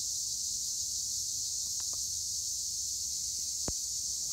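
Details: Tree crickets, Acheta assimilis, in olive trees at Gure, Edremit, Turkey, make an unbroken high shrill drone that holds steady throughout, with a few faint clicks and one sharp tap near the end.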